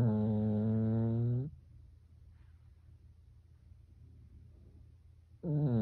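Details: Snores from Byeol, a Pekingese dog asleep indoors, sounding like a person snoring: the tail of a low droning snore, about four seconds of near-silence with faint hum, then the next deep snore beginning.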